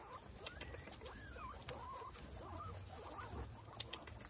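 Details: Guinea pigs, all female, keen on apple: several bending, warbling squeaks sliding up and down over constant chewing and shuffling, with brief louder clicks scattered through.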